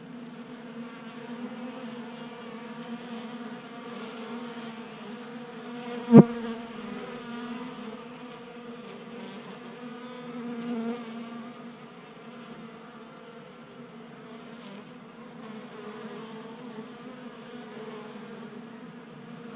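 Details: Several honey bees feasting at a 3D-printed bee feeder in a Colorado garage on a mild January day, producing a continuous droning hum with stacked tones, broken by one sharp click or tap partway through.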